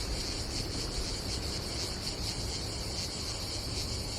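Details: Cicadas calling on a hot summer day at a campsite by the Adriatic Sea in Croatia, a short stretch of steady high-pitched buzzing with throbbing pulses over low wind and wave rumble.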